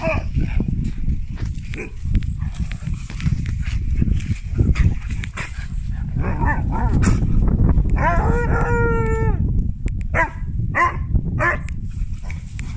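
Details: Drwg, a Siberian Husky puppy in Wales, calling his big sister to play; after steady low scuffling and thuds comes one clear, slightly falling woo lasting over a second, with a few fainter vocal bursts around it.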